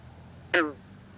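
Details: A single loud plucked twang from a green frog (bronze frog) calling at night over water with rising mist, air cool in the 50s; a short note with a bright stack of slightly falling harmonics, then quiet background murmur.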